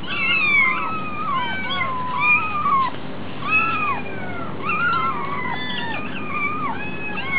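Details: Hungry kittens at a cat cafe call in a dense chorus of bending, drawn-out meows. Several voices overlap, with louder cries every second or so over a faint background hum.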